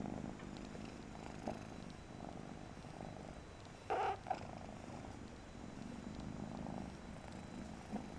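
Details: Low, even purring by Persian kitten Mariah, interrupted once by a short louder burst of noise before the rumble resumes.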